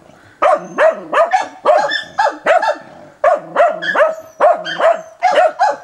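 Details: Dog baying a wild boar with lively, tireless barking, 29 December 2017: clusters of two or three sharp barks with yelping, falling tails, separated by brief pauses, no other sounds.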